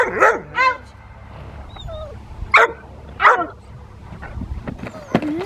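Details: Rottweiler playing in the rain with a helper at a Rottweiler club on 13 December 2020: four sharp, loud barks spaced about a second apart, with rain patter and faint voices between them.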